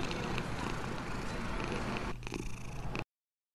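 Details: Black stray cat that lives in a box beside a store purrs contentedly as it is fed, a continuous low throaty rumble that stops abruptly after three seconds, with faint street noise.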